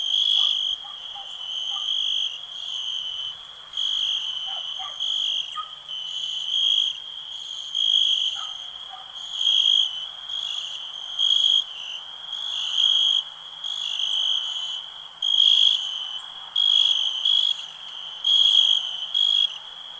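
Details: Continuous high-pitched cricket trilling pulses into louder bursts about every second or two for twenty seconds, uneven in spacing, with scattered faint lower clicks and short notes early on.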